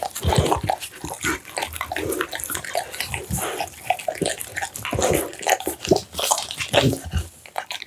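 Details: An American Bully dog eats a meal of steamed pumpkin, minced duck meat, tofu and dried mixed vegetables. Wet, close-up chomping, smacking and slurping come in rapid, irregular bursts throughout, with no other sounds.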